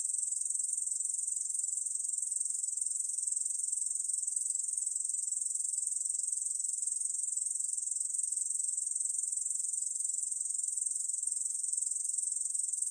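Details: Korean bush cricket, Ussur brown katydid, singing a steady shrill buzz that never pauses, with a gentle pulse near two per second; 2020 National Institute of Biological Resources recording, otherwise quiet.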